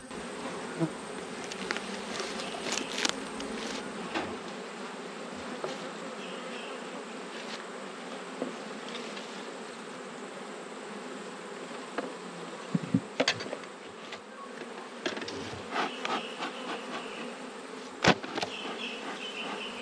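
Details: Honey bees in an autumn hive during an inspection of one of twelve beehives, one colony having swarmed: a steady low droning hum throughout, with scattered sharp clicks and knocks from frames and boxes being handled.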